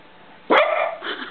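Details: Pet dog barking in reply to its owner singing "who let the dogs out", as if singing the rest of the song: one loud, sharp bark followed by a rougher, tailing bark-like sound, with a faint click at the end.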